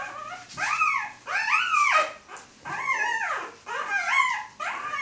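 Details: Four-day-old Siberian Husky puppies, born 3 April 2015 in Kharkiv, Ukraine, whimpering while eating: about five high, arching squeals that rise then fall, each lasting under a second, with short quiet gaps between.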